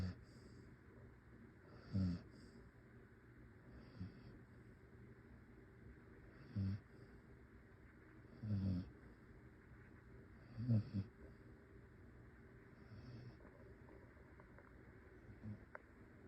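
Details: A pet dog snoring while asleep, soft low rasping breaths rising every two to three seconds over a quiet room hum, some snores louder and doubled.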